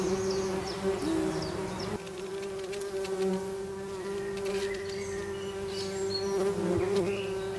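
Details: Tree bumblebees buzzing inside their nest: a steady, droning hum with a rich stack of overtones that runs unbroken throughout, plus faint high chirps and scratchy rustles in the background.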